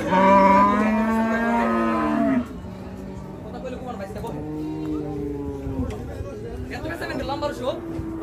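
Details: At Hazratpur cattle market, Bangladesh, cattle coming off a truck give a strong sustained moo lasting two seconds, followed by softer, wavering lows from other animals amid crowd chatter.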